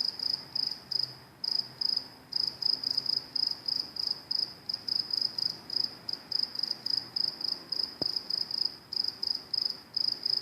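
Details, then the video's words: Crickets beside train tracks on a New Jersey Transit line chirp steadily in short, high, pure-toned pulses, about three or four each second. "NJT Crickets making noise at train tracks"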